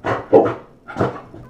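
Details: Chow Chow, a mother and daughter, barking during a playful training session on command: two short broadband barks about two-thirds of a second apart, indoors, with a trainer's voice nearby.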